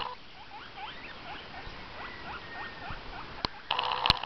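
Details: Domestic guinea pig indoors repeating quick upward-sweeping squeaks at a steady pace, followed by a loud click and a burst of rustling handling noise at the end.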